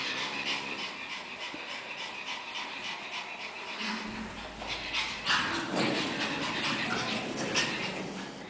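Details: Two 5-month-old Pekingese puppies breathing in quick, rough, irregular pants, a steady breathy hiss with louder bursts near the middle and end, with no other clear sounds.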